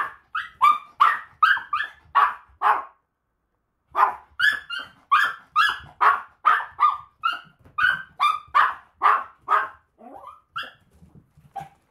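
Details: Maltese barking on a walk, a fast string of shrill, high yaps, roughly two per second, with a short pause near three seconds before the barking resumes and fades into softer yips.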